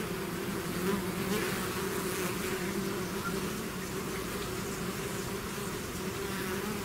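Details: A honeybee swarm pouring out of its hive, producing a dense, steady buzzing drone with strong low hum bands and a faint fluttering texture throughout.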